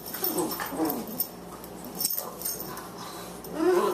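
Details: Boxer puppy Margie, 14 weeks old and 18 pounds, at play with the elder Boxer Lou; rolling whiny growls rise and fall early on, then a louder wavering whine-growl closes the moment over scuffling.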